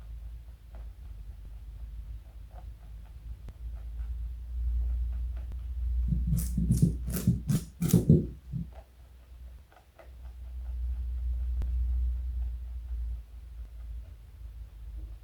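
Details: Pet bunny Joey, 4.6 kg and 60 cm+ long, eating carrot: a quick run of about six sharp crunches packed into two seconds, set between stretches of steady low hum.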